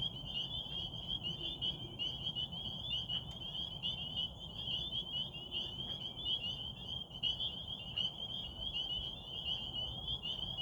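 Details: Massed frogs at a pond in Rehoboth after dark, waxing gibbous moon overhead; shrill overlapping trills form a constant bright drone throughout, with a steady low rumble of distant noise beneath.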